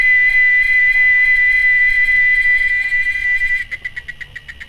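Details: Loud, piercing single-pitched whine from a cicada, held steady for several seconds, then switching abruptly to a softer series of quick rhythmic buzzy pulses.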